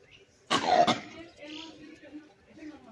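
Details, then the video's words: Wild langur giving a single loud, harsh, cough-like bark lasting about half a second, then quieter rustling and faint background calls. "monkey langur wildlife sound"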